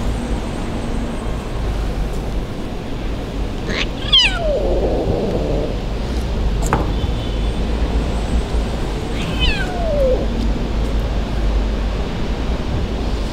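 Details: Abandoned kitten crying in the street, left by its owner; two short descending meows several seconds apart, fainter than the constant low traffic hum and background noise.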